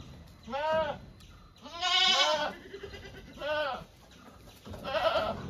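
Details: Domestic goats bleating: four wavering, nasal calls in five seconds, the second loudest and longest, each with a tremulous, slightly falling pitch over a faint background hum.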